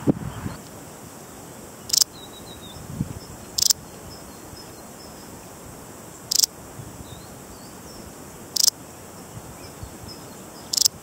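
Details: Balearic saddle bush-cricket chirping in brief, sharp, bright bursts, five in total at uneven intervals of roughly two seconds, over a quiet outdoor background.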